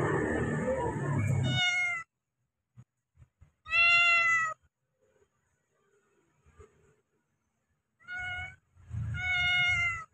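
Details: Domestic cat meowing to call a companion: a rumbling noisy start, then loud, clear, drawn-out harmonic meows around two and four seconds, and two more meows close together at the end, separated by quiet gaps.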